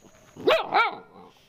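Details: Dog in a dog fight: two quick sharp barks in under half a second, the first rising, the second arching, with a faint steady tone behind.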